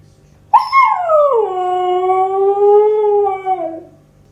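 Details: Siberian Husky puppy howling: a single sustained tonal howl lasting about three seconds, starting with a sharp rise then gliding down and holding steady, rich in harmonics, fading out at the end.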